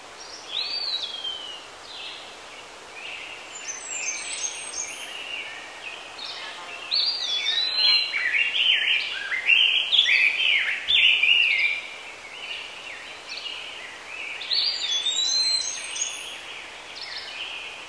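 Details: Squirrel monkeys chattering in a dense, overlapping chorus of high chirps and sharp down-slurred squeaks, rising and falling in waves with bursts of louder peeps around the middle; several callers at once and no other clear sounds.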